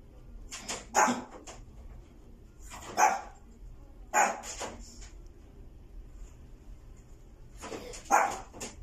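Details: A white female Maltese born 29 August 2020 barks in short bright bursts, often doubled, roughly every one to two seconds, against a quiet indoor background.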